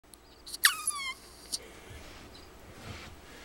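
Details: Pet ferret named Alice talking in her sleep: one brief high squeak that falls in pitch, followed by a few faint short chirps and soft snuffles.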